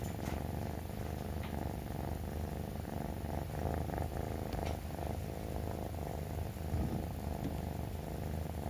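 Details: Rescued three-month-old male brown tabby kitten rubbing against its owner each morning after waking, until breakfast is ready: a steady, low rumbling purr runs throughout, with soft rustling and light taps of movement indoors.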